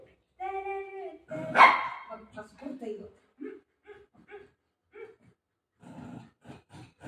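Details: Golden retriever during play and mock fighting indoors: a drawn-out whining, harmonic tone, then one loud sharp bark, followed by a person chatting in Marathi in short bursts.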